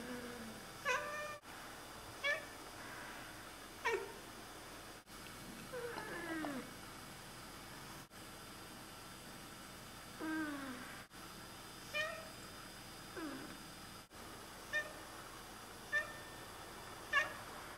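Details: Oriental Siamese cats indoors chattering to birds; repeated short chirps and clipped meows every second or two, with several bending, wavering calls scattered through a quiet room.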